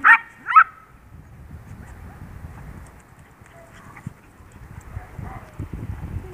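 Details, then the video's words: Two sharp, high-pitched yips in quick succession from Mr. Max, a 10-week-old Yorkshire Terrier foster puppy playing hyper with his family. Then quiet rustling and low background noise. "Mr. Max goes wild, 10 wk old Yorkie foster puppy"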